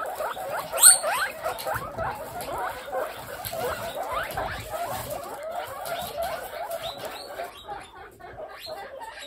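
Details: Pet guinea pig babies in a big group chatter in fast, irregular squeaks, about three notes a second, each a short upward-curving chirp, with one loud squeal near the start and soft rustling throughout.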